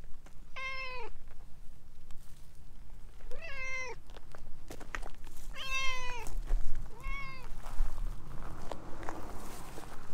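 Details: Vocal stray orange tabby cat rubbing at someone's legs, calling four meows roughly every one and a half seconds, each falling at the end, with soft rustles behind.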